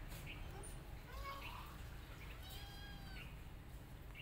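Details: Domestic cat filmed as a mother cat attacks an orphan kitten after smelling her. A single drawn-out meow rises and then falls. Faint bird chirps and a low steady hum sit in the background.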